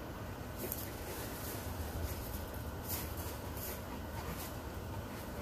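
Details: Steady broadband hiss and low rumble fill the recording, with no clear animal voice, only faint indistinct room or vehicle noise.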